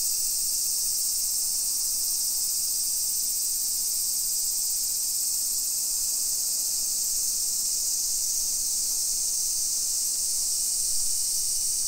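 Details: Summer cicadas in a hillside residential neighbourhood of Nisshin, near Nagoya, Aichi Prefecture, Japan, at 1 PM on 28 July 2021: a steady, high, hissing drone that holds unbroken and even throughout, with no other clear sounds.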